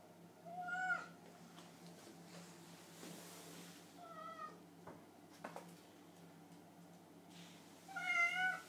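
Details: Indoor pet cats, hungry after a late evening alone at home, give several plaintive meows: a loud one at the start, softer shorter ones in the middle, and a strong wavering meow at the end, with faint rustles and a low hum between.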